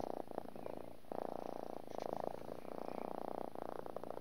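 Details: Pet cat purring steadily, a rapid rumbling pulse that rises and falls with its breathing, the flow breaking briefly about every second.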